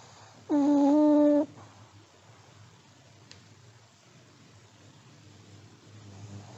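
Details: Sleeping elderly Pomeranian gives a single steady, whistling nasal snore lasting about a second, followed by several seconds of near silence.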